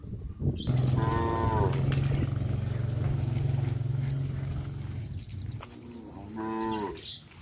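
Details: Tame cows wandering through a village: a long, deep, droning moo lasting several seconds, with shorter harmonic calls at the start and again near the end, over a steady background rumble.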